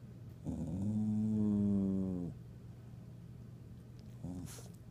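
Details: Annoyed pet dog grumbling indoors, irritated by another dog walking around the room looking for a toy: one sustained low harmonic growl of about two seconds, then quiet room hum and a brief short second grumble near the end.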